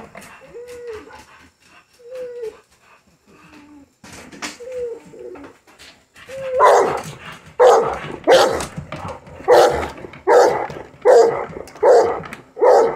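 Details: Rottweiler Loki and English Bulldog Meatball in a yard, excited while watching an RC truck driven around; soft whines at first, then loud rough barks repeated about once a second, growing more intense.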